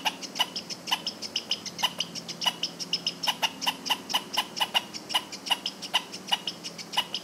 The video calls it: Squirrel Sounds 🐿️ Squirrel Sound Effects